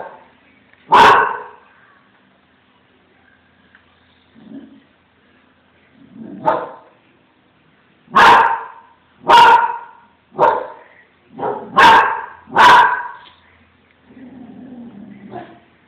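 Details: Branco, a Small Münsterländer, catches sight of a cat and barks in a funny way: sharp, loud single barks, at first widely spaced, then in a quicker run of five or six, with quiet low grumbles between.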